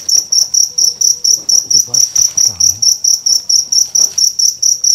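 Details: Large cricket found during a night cricket hunt in Indonesia, chirping loudly in a steady series of short, shrill, high pulses, about four per second, with men talking quietly underneath.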